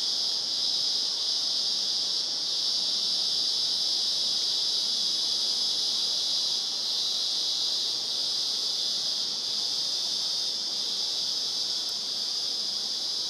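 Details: Cicada chorus in the Blue Mountains at Glenbrook, 30 March 2014: a continuous piercing whine held at a constant high pitch with slight rapid pulsing throughout, no other clear sounds.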